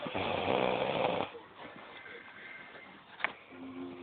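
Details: A pet cat named Brother snoring indoors: a broad, noisy breath for just over a second, then quieter breathing, a brief click and a faint steady hum.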